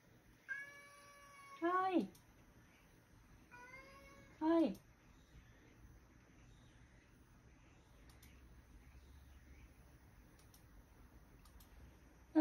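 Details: Male rescue cat indoors meowing at his elderly housemate as she prepares to go out, seemingly not wanting her to leave; two loud meows, each a steady tone then sharply falling wail, then quiet room.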